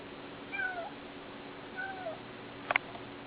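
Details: Kitten indoors giving two faint, short meows that slide downward, about a second apart, followed by a brief sharp click near the end against a steady low hum.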